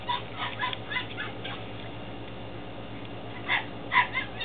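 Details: Belgian Malinois Shepherd puppies, 10 weeks old, in Williston, Florida, on 28 April 2015: short high yips and whimpers in a quick cluster at the start, then two more near the end, over a steady low hum.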